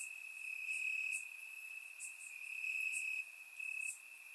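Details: Crickets chirping in grass on a warm summer night in Bulgaria, recorded with a surround microphone: a steady high ringing trill holds almost unbroken, swelling in long pulses, with fainter higher buzzy chirps from other crickets flickering above.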